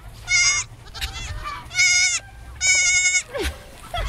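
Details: A lost male baby goat bleats loudly and repeatedly, with high, wavering cries, as it searches for its mother and passes a dog, chickens and turkeys.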